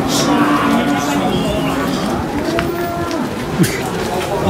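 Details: Large cow being unloaded at a market, giving low, drawn-out moos over a busy background of people talking in French and crowd noise, with a few sharp knocks.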